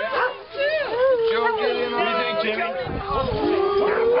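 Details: Greyhounds howling together in a group sing-along: long, sliding tonal howls that rise and fall, several voices overlapping throughout, with a human voice heard alongside.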